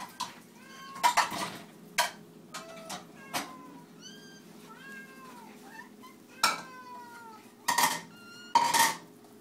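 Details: Several house cats meow insistently at feeding time indoors, with bright arched meows repeated over and over, overlapping in places, punctuated by loud clattering of dishes and cutlery.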